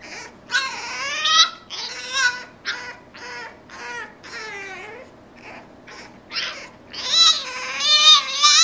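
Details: Kept from play, Frankie the French Bulldog keeps up a mournful string of wavering whines, roughly once a second, some sliding downward, growing louder and more insistent toward the end in a small room.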